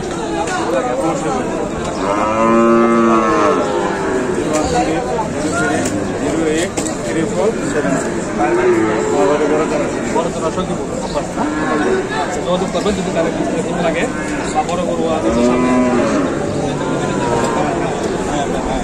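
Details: Market bulls for Qurbani at Batajor haat, Bangladesh, 26 March 2024: several harmonic-rich moos, one early and another after fifteen seconds, ring over a continuous backdrop of human chatter and bustle.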